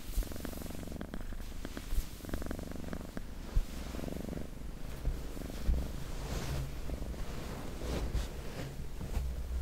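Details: Soft cat purring, a low, fluttering rumble in short rhythmic phases that grows fainter and blends into rustling and handling noise; ASMR-style recording.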